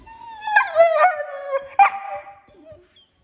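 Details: Female German Shorthaired Pointer puppy protesting bedtime in a tantrum, not wanting to sleep: two wavering, howl-like whines that slide downward, the second sharply attacked, then fading to a soft whimper.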